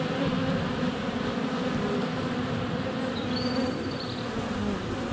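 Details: Flying honey bees crowd a hive entrance on a sunny February day, captured within a foot by a GoPro Hero 7 Black; constant droning buzz beneath a couple of faint, thin whistled bird notes midway.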